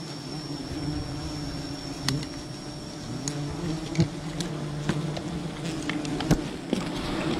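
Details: Low, even buzzing of many bees at a wild colony being raided for honey, with a faint high tone and irregular taps and crackles recurring over the drone.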